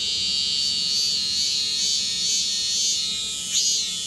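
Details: Fifteen male cicadas caught by a boy, calling indoors in Korea in summer: an unbroken, intense, high-pitched buzzing drone with slight wavering throughout.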